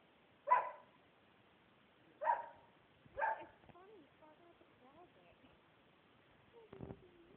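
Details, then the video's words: Dog barking at the closet where his treats are kept, three single sharp barks spaced one to two seconds apart, followed by a soft, wavering whine and a faint low voice. "barking at the closet where his treats are."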